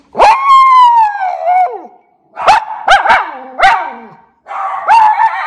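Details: Two Miniature Schnauzer brothers in Aroostook County, Maine, still worked up after returning inside from the yard: a long falling howl, then a run of sharp yelping howls and another sustained wavering howl, loud and continuous.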